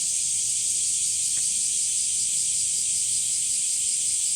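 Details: Summer cicada chorus recorded in the heat at Umami Hills Park, Japan, near sunflowers: a steady, hissing high-pitched drone that never breaks.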